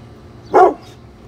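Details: One short, forceful bark from a brindle Pit Bull called Bullet, who is defending the house against construction crews outside.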